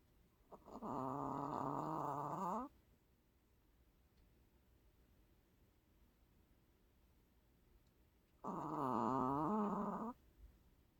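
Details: Sleeping long-haired Chihuahua that always snores: two long, droning, buzzy snores of about two seconds each, about six seconds apart, with near silence between them indoors.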